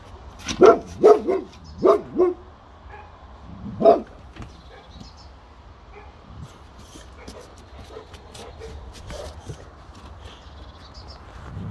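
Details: A Boxer dog staying on guard lets out a quick run of four barks in under two seconds, then one more lone bark, followed by quiet room sound and faint movement.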